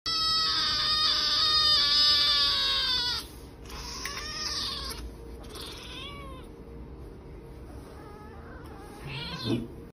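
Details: Domestic cat crying after being given an injection: loud, drawn-out wailing meows with rich harmonics for about three seconds, then shorter falling mews at four and six seconds, quieter cries toward the end.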